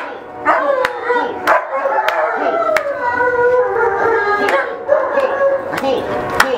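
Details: Ziggy, an Alaskan Malamute, at the Gateway Sled Dog Club charity weight pull in November 2013, gives a long, wavering howl that sags lower midway and lifts again, over sharp repeated claps and a man urging him on.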